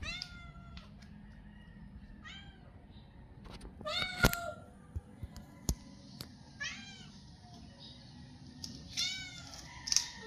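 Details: Hungry stray cats asking for food: several short meows with stacked harmonics, arched pitch, scattered through the recording with soft clicks and rustles between them, low background hum throughout.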